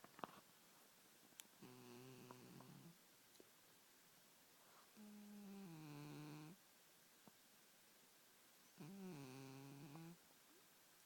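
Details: Domestic cat asleep and snoring, giving three steady, rough, low rumbling breaths of one to one and a half seconds each, spaced about three seconds apart, in a quiet room.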